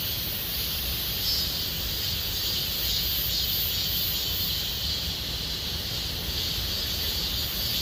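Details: Gomsol Nuri Forest cicadas in the Sihwa district in summer, a steady shrill buzzing chorus with slight rhythmic pulsing and a few sharp higher notes, over faint low background rumble.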